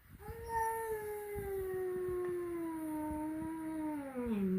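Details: At home, a flat-nosed cat first meets a peak-nosed cat. A sustained, steady-pitched yowl with strong overtones lasts about four seconds, then dips lower at the end.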